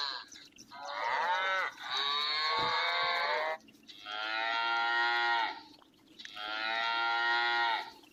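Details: A cow gives three long, loud moos, each a rich harmonic bellow lasting over a second.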